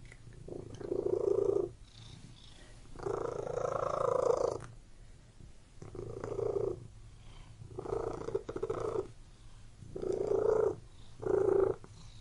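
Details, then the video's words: House cat purring steadily in repeated rumbling phases of roughly one to two seconds, six bursts alternating with quieter intervals, a continuous low hum beneath, no other sounds. "CAT MEOWING AND PURRING"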